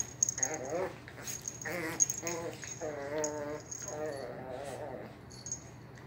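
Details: Shih Poo mother Chloe, one year old, and her eight-week-old puppy Missy play fighting in a living room; four bursts of wavering, harmonic growling whines, each about half a second to a second long, over light rattling and clicking.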